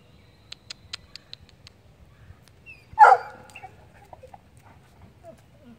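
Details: Lola, a pet dog playing with a squirrel, lets out a single sharp, rich yelping bark midway, after a short run of soft clicking taps, with quiet background and a person's voice nearby.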